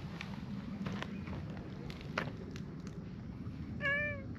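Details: Brown tabby-and-white stray cat by a pond in a park lets out a single short, clear meow near the end, slightly wavering then falling away; before it come soft footsteps, light rustling and a low outdoor rumble.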